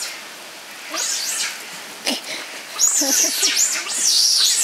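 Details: Giant otters at Chestnut Centre, Chapel-en-le-Frith, a family of six with two centre-born cubs, 25 June 2011; loud, high wavering squeals in rapid overlapping bursts, broken by short lower chirps and a brief gap.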